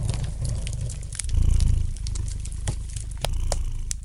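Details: Domestic cat purring gently near a crackling fireplace, a deep vibrating rumble rising in a brief louder swell midway, with a few crisp pops of burning wood.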